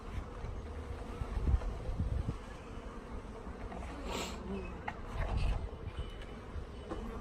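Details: Honey bees in a shipped package, some dead, being installed into a hive: a low steady humming buzz with handling knocks and rustles throughout.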